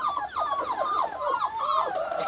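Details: Australian Shepherd pups, five weeks old, whine steadily in overlapping high, sliding cries that bend up and down with no pauses, sounding like several puppies calling at once.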